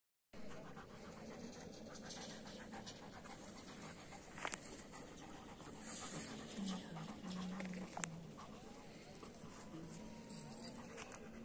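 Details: Pair of long-haired German Shepherds, Hash and Janney, panting with steady rough breathy bursts, about ninety per minute, over a constant hiss of background noise, with a few sharp clicks.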